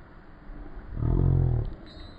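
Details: Rottweiler giving one deep, rumbling growl-like vocalisation that swells for about seven tenths of a second, then fades, with steady low harmonics and faint background hiss.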